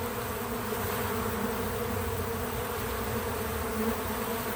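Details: Bees gathering at a feeder give a dense, steady buzzing hum, with a slight swell near the end as one flies closer, and no music or speech.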